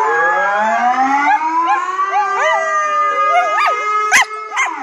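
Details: A female Border Collie howls in long, wavering tones over a steady, horn-like drone; she howls when she hears the loud air horn.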